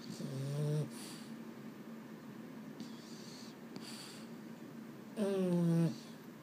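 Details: Bedtime grumbling from a Boston Terrier, one of the males Mambo and Cub, that can't sleep. A short, low, harmonic moan opens the clip, then a quiet stretch, then a longer, louder, droning moan near the end.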